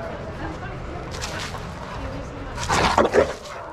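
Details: Shelter dogs at play together in a yard at Pima Animal Care Center, Arizona, watched by handlers; a low background murmur, then a sudden cluster of sharp, loud barks near the end, with people talking.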